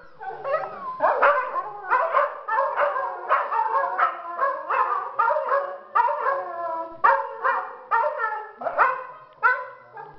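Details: Pack of domestic dogs meeting to howl together and affirm each one's place in the pack: dense, continuous chorus of overlapping yips, yelps and wavering howls from several dogs, rising and falling for ten seconds without pause.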